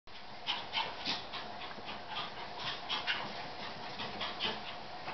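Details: Two Fourche Terrier puppy sisters, a Westie and Yorkie cross with salt and pepper brindle coats, recorded in September 2011; rapid soft panting breaths repeated several times a second, airy and irregular, over steady background hiss.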